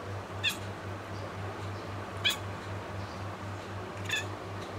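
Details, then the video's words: Young pet Bengal cat chattering toward birds, giving three short bright chirps spaced about two seconds apart against a constant low electrical hum. "cat talking to birds"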